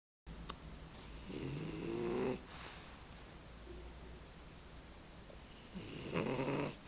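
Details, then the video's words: A male French Bulldog snores while asleep, with two rough, rumbling breaths about four seconds apart. "Rambo the french bulldog snoring"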